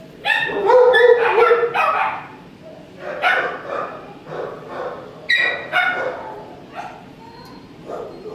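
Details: Shelter dog with mange barking in a run of loud, harmonic yips and barks, several close together at the start, then shorter bursts spaced about a second apart, with a soft human voice between them.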